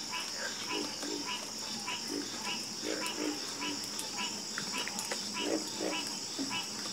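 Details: Frogs in a calm chorus give rhythmic low croaks, bursts repeating roughly twice a second in a steady pulse, over a constant shrill background hum like insects.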